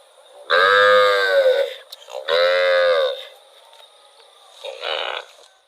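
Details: Moos from a cow wandering in rural rice fields: a loud drawn-out moo, a second slightly shorter moo soon after, then a faint brief call.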